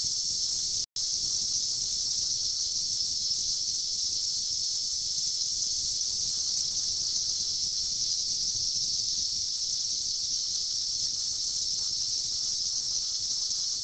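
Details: Chorus of periodical cicadas in a 2004 emergence after 17 years underground, massed to mate: an unbroken, even, high-pitched shrill wash of sound with a single momentary dropout near the start.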